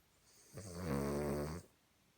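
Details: Cavalier King Charles Spaniel asleep and snoring in a human-like way, a single rasping breath lasting about a second that swells in and holds steady as a deep, vibrating drone, then stops abruptly.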